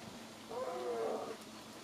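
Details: Captive-born Siberian lynx on a morning with the big cats, giving one drawn-out, mournful mid-pitched tonal call that slides gently downward over about three-quarters of a second, with faint background hum.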